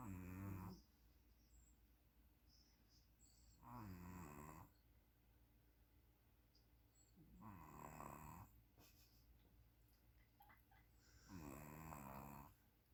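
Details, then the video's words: Sleeping puppy snoring: four rasping, harmonic-rich snores, each under a second long, spaced about every four seconds, with quiet breathing between them in a still indoor setting. "SNORING PUPPY"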